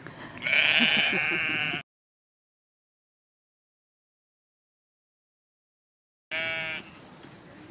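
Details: A lamb and an adult ram bleating to each other: a loud, harsh, high wavering bleat lasting nearly two seconds, a long silence, then a second shorter bleat that trails off into quieter noise.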